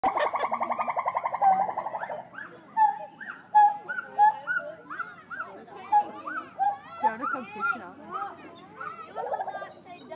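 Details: Pileated gibbons (Hylobates pileatus) at Blackpool Zoo in June 2013 sing, opening with a rapid bubbling trill and moving into loud rising-and-falling whoops.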